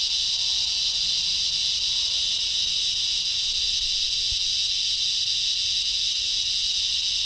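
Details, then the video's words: Insects in a tree in the front yard make very loud, strange chirping or buzzing sounds; a continuous high, sizzling buzz stays level throughout, lightly pulsed, with faint low rumble beneath. "Strange insect sounds."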